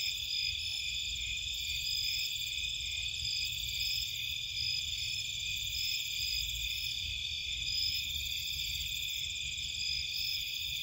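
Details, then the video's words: Cape Cod marshland at night, crickets and insects calling together: steady layered high-pitched trills hold without pause, a few bands wavering slightly, over faint low background hum. "Nighttime Cricket Sounds"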